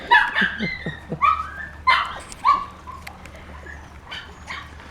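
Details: Honey's young puppies, newly let out of their pen, let out a burst of short, bright yips and squeaky barks in the first few seconds, then quieten to faint rustling and background noise.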